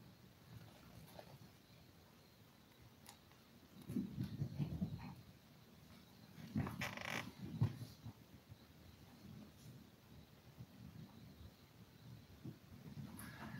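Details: Five-week-old toy poodle puppies from a litter of seven, indoors, giving low grunting, growly murmurs in irregular bursts, with scattered soft clicks and rustling between them.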